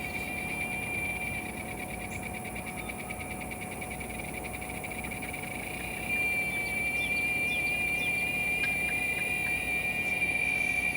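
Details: Giant cicada, Quesada gigas, recorded on August 3rd after rain: a continuous high, buzzing drone with steady whining tones that grows louder about halfway through.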